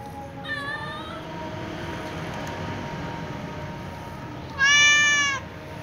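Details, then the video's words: Calico cat meowing while sharing a meal with a white cat: a faint short meow, then after a pause a loud, clear, drawn-out harmonic meow near the end, over a steady low background hum. "The calico cat meows"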